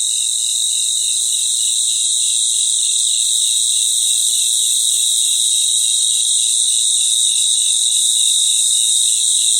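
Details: Crickets chorusing in their natural surroundings at night. A continuous shrill ringing hangs over a lower, throbbing trill that pulses rapidly and evenly throughout. Nothing else is heard.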